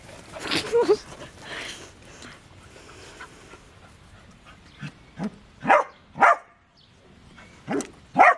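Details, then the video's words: Corgi during play time, giving a series of short, sharp barks and yips, sparse at first then in quick bursts near the end, with some low whimpering between. "Corgi play-time"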